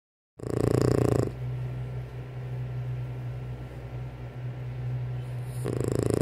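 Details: A sleeping French Bulldog snores in the morning before breakfast, with a harsh rasping breath followed by a long, low, steady rumble.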